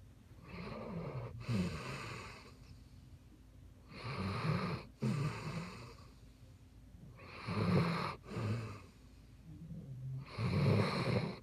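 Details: Basset Hound asleep indoors, snoring loudly in slow, rough breaths. Each cycle has a rasping intake followed by a throaty, fluttering exhale, repeating about every three seconds with quiet pauses between.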